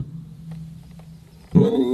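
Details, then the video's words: Leopard voice at night: after a steady low hum, a sudden loud, harsh, low-pitched roaring burst arrives near the end and rasps on briefly. "Leopard Voice In Night"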